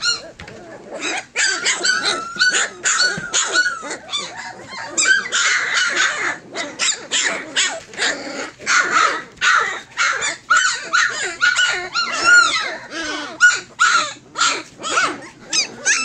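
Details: Fourteen Tosa Inu puppies nearly three weeks old, crying together in a dense, continuous chorus of high whines and yelps, many rising or falling in pitch and overlapping with almost no pauses.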